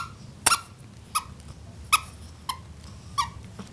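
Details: Hiccups from a bulldog puppy come as a run of six brief squeaky bursts with a slight tonal edge, spaced roughly every 0.7 seconds and a little irregular, in a quiet indoor setting.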